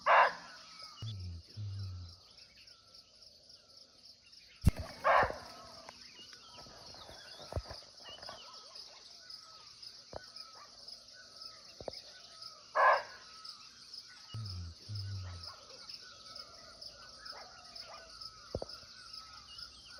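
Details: 2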